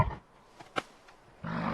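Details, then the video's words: A bison gives a deep, rough, roaring bellow: a brief low grunt first, then a sustained rumble that is cut off at the end. "Bison and the sound of Bison."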